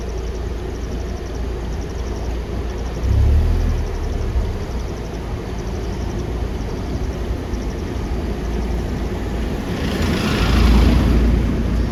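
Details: Steady engine rumble and vehicle noise fill the recording, swelling twice, with no animal sound heard.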